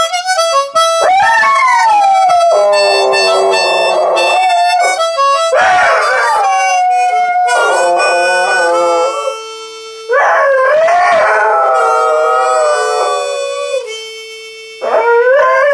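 A dog howls in long, sliding wails along with a harmonica playing chords and notes.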